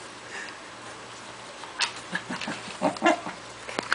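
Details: Corgi panting hard and snorting while playing tug of war with another dog; short breathy snorts and huffs cluster in the second half over a steady low hum.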